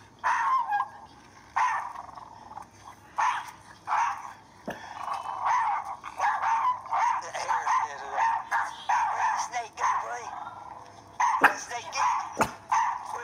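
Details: Chihuahuas facing a non-venomous black snake in the Florida Panhandle, barking in rapid, high, yappy bursts repeated throughout, with short pauses between volleys; people talk over the barking.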